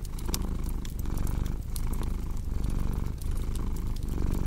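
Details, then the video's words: Purring cat, a deep vibrating rumble that swells and fades in cycles near every one and a half seconds, accompanied by steady fireplace crackles. "Purring Cat"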